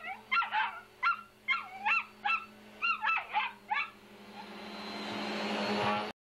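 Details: A house dog, a female, barks about a dozen shrill, pitch-dropping yaps at a vacuum cleaner she is angry at. Then the vacuum motor rises into a loud rushing roar over a constant hum.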